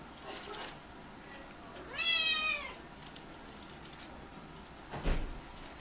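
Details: A single drawn-out meow from a mellow female Domestic Shorthair cat, a former stray awaiting adoption at a shelter, recorded indoors; the harmonic cry arches then falls over about a second, with faint clicks and a brief knock afterward.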